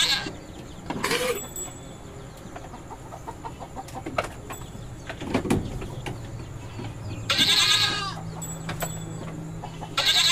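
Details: Farm goats, said to be mating, utter several harsh bleats spread through the recording, a strong one near the start and two more late, amid fainter calls, clicks and low rumbling noise.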